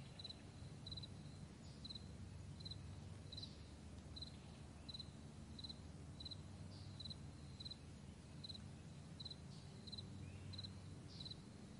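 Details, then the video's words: Out on a vast meadow in the morning, a cricket repeats short, high chirps at a steady pace, roughly every seven-tenths of a second, with a few fainter chirps and a quiet low background hum. "Morning Crickets"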